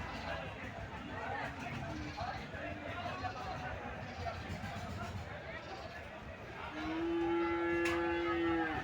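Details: Dairy cow at the Sonai Chandi cattle market on Wednesday, 25 June: a single long, low, steady moo near the end, heard over constant crowd chatter and traders talking.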